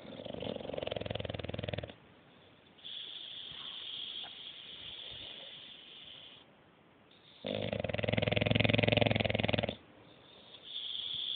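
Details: Sleeping English Bulldog in deep sleep, snoring indoors: long rasping breaths, a loud one at the start, a softer higher wheezing stretch in the middle, then another heavy snore near the end.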